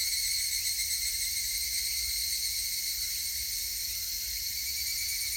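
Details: A constant, sharp buzzing-ringing chorus of higurashi cicadas recorded 19 August 2018, multiple high tones sustained evenly with a faint shimmering flutter and nothing else audible.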